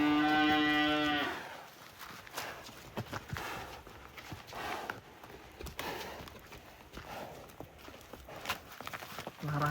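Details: Giant cattle, excited as they leave the pen on the way to a deal: one loud, rich, harmonic moo lasting about a second opens the recording, followed by clattering, shuffling and human voices in the background.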